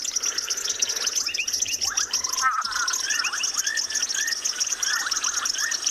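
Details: Brownback tree frog call played back from a device on an afternoon safari in South Africa, a squeaky sound said to recall a lion cub: short upslurred squeaks repeated in quick succession over a constant high insect hiss and other frog calls.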